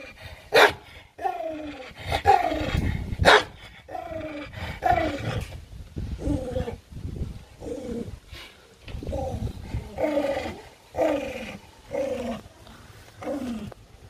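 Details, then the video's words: Angry, aggressive pet dog fighting over food: a run of rough, harmonic growling snarls, each under a second and falling slightly in pitch, repeated about once a second, with sharp knocks and clatter between them. "AGGRESSIVE DOG మా dog కు కోపం వచ్చింది"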